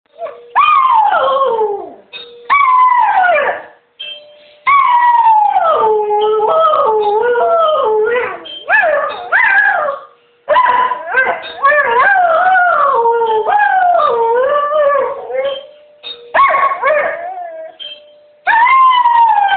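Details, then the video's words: Female pet dog howling on hearing the door bell, long wavering howls sliding up and down in pitch, broken by brief pauses, with a steady tone sounding between phrases. "Audrey Howling"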